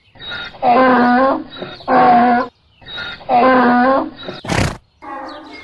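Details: Donkey braying in three loud, raspy honks, each about half a second long, with wheezy breaths between them, followed by a sharp knock and a softer trailing wheeze.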